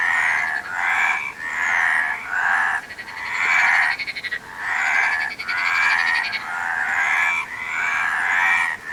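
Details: Several frogs croaking together in rough, mid-pitched bursts of about a second, interrupted by short gaps, while a higher, rapidly pulsed trill joins in twice in the middle.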